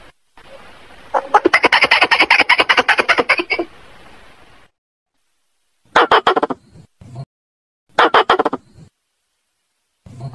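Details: Squirrel calling for a female: a long rapid chattering run over background hiss, then shorter clipped bursts of harsh clicks spaced by silence, each trailing into a low grunting note.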